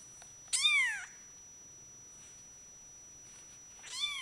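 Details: Bengal cat, a male named Sherakan, giving two meows: a loud arched falling meow early, a faint one midway and a rising-falling meow at the end, with quiet room background.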